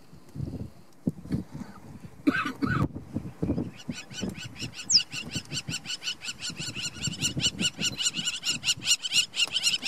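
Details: Two cheetah cubs with their mother at Namiri Plains, 17 August 2015, break into yipping: after a few scattered bursts, a fast, steady run of bright, sharp yips builds over the second half, over low rumbling and murmured voices.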